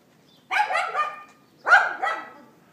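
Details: Neighbour's dog barking on April 18, 2012 at 11:31 AM, recorded on an iPhone 4S: two harsh, harmonic bark bursts, each a quick double yap, about a second apart, with a quiet background.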